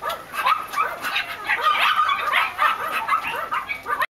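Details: Black and white Miniature Schnauzer puppies yipping and whimpering in a busy, overlapping chorus of high squeaky cries, nearly continuous, ending abruptly.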